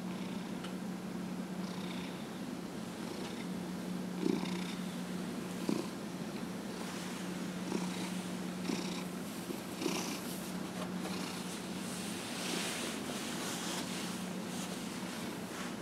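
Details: Dillard, a 15-and-a-half-year-old pet cat, purring while being massaged on January 31, 2018; a steady low rumbling purr runs throughout, with soft brushing and rubbing sounds from the massage rising and falling above it.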